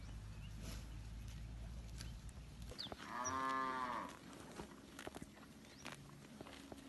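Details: Village cattle wandering a green rice field while eating grass; a single full, harmonic moo lasting about a second, preceded by low engine-like rumble and followed by quiet rustling and a faint bird chirp.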